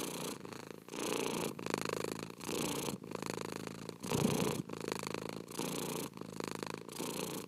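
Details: Close, rumbling cat purr made of grainy pulsed bursts, each lasting about half a second to a second with brief gaps between breaths, keeping an even rhythm throughout.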